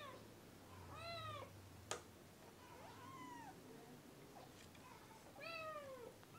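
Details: Kitten meowing early in the morning: two clear arched mews about four seconds apart, with a softer call between them, a sharp knock near the start and a low hum underneath.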